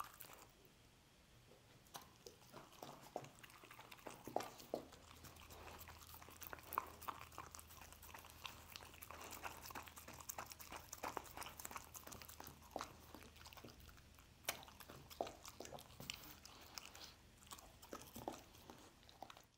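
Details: Pet dog eating scrambled egg inside a small room, a long run of steady, uneven chewing, licking and smacking bites with sharp little clicks, a low hum beneath, near-silent for the first two seconds.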